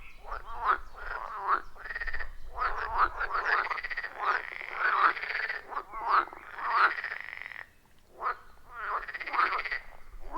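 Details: Chorus of frogs calling around a wild forest pond, recorded on an iPhone 14 Pro with a Shure MV88+; overlapping rattling, pulsed croaks in bursts of about a second, briefly pausing near the eighth second.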